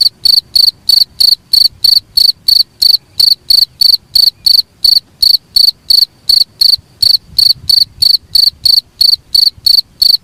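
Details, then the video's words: A cricket's chirp meant as a model for songbird training: a long run of sharp, high, ringing pulses at a steady pace of about three per second, unbroken and clean. "suara jangkrik paling bagus sangat cocok untuk master burung kicau"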